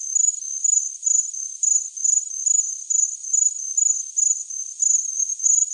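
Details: Cricket producing a sharp, high-pitched chirp in rapid pulsed groups that waver a little in loudness, with a quiet, otherwise empty background.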